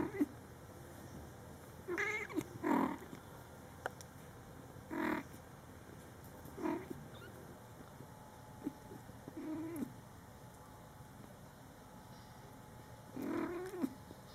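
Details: Scottish Fold kittens in their first month of life, born July 22, 2012, with their mother cat talking to them; short mewing calls come in separate bursts every few seconds over quiet indoor background hiss.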